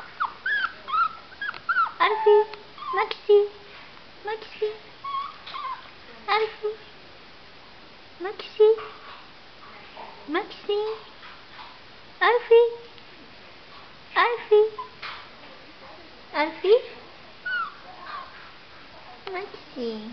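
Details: Jack Russell Terrier puppies in a cage at nap time whimper and yip in short, rising-and-falling whines, repeated in bursts every second or two, with a person's voice speaking nearby.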